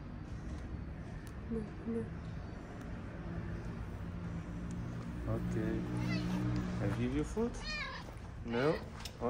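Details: Homeless street cat in Morocco that never lets a calico cat near him, being offered food; quiet start, then a run of short wavering meows growing louder toward the end, over a man's voice and steady low street hum.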